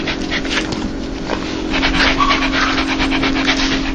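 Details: Happy dog making soft laughing pants, gentle airy breaths that grow a little stronger midway, with a continuous low hum behind them.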